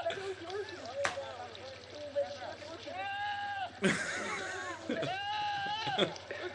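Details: A goat yelling in a strikingly human-like voice: two long, harmonic-rich cries that arch upward then sag, with shorter wavering calls and murmuring sounds between them over a steady low hum.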